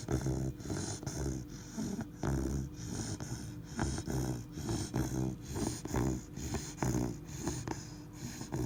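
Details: Labrador Retriever puppy of three months snoring in its sleep, a low buzzing rattle on each breath, repeated rhythmically about once per second throughout.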